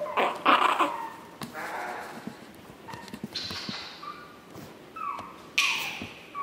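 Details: High whines and squeaks from Chihuahua puppies at Chihuahua World, 9 April 2016. Overlapping thin cries and short yelps recur every second or so, some descending in pitch, with rustling between them.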